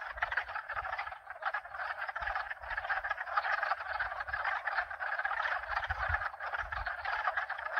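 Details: Mixed frogs croaking in an unbroken, even chorus, many callers overlapping into a pulsing trill, at least two species present; only faint low rumbles of wind or pump noise beneath.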